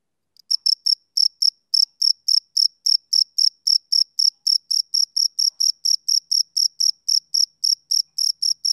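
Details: A summer-evening male cricket starts after a short silence and keeps up a rapid, even run of high, pulsed chirps, about four per second, over a quiet background.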